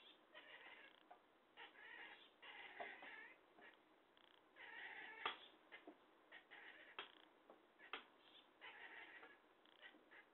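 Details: Talkative cat meowing almost nonstop: a run of short harmonic meows and chirpy trills, some rising and wavering, packed into ten seconds with only brief pauses and a few sharp clicks between calls, indoors.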